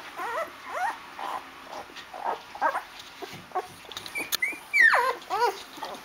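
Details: Rhodesian Ridgeback puppies, eight days old, crawling in their litter box after a full meal: a steady run of thin, wavering squeals and whines, with a sharp rising-then-falling cry near the five-second mark.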